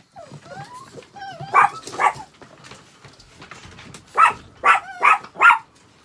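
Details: Pet Chihuahua, a family's beloved dog, vocalising indoors while its toilet is being changed: thin rising whimpers and whines at first, then four sharp, high yapping barks in quick succession near the end.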